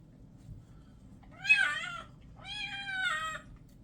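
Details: Distressed meows from a male white and orange kitten being bathed indoors: two sustained, slightly wavering cries about a second long each, separated by a short pause, in a quiet small room.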